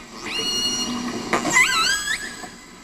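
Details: A wild killer whale in Johnstone Strait, off Vancouver Island, British Columbia, gives a pod's dialect call: a bright, wavering squeal with sweeping, rising-and-falling overtones, by which pods identify each other.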